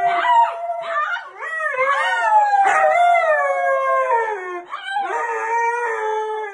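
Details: Husky from a collection of cute dog clips, vocalising in wavering, yodel-like howls that bend up and down, linked together with short dips between phrases over about six seconds.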